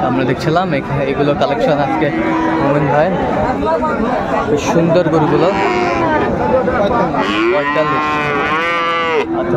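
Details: Busy Raniganj cattle market in Dinajpur, Bangladesh, on 7 November 2024, with Friesian and crossbred bull calves. A dense mix of crowd noise gives way to a clear, long, harmonic moo near the end.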